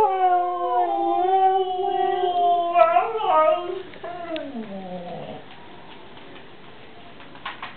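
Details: A Siberian husky, wound up and provoked by a child, howls in long, wavering tones that break into yips before sliding down and fading.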